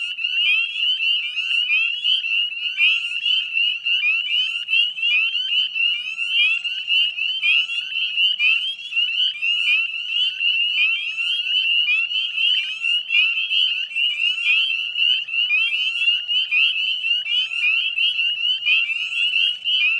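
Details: Dense chorus of many Northern Spring Peepers at a salt marsh in West Chezzetcook, Nova Scotia, Canada, at dusk on 18 May 2020; countless high, short rising peeps overlap continuously into a shrill, unbroken ringing wall of sound.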